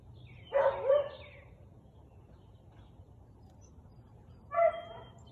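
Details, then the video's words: On 13 March 2021 at 4:17 pm, a Siberian Husky lets out a tonal, slightly yelping double bark, then falls quiet before one more clear, ringing bark near the end, against a low background hum. "Husky barking"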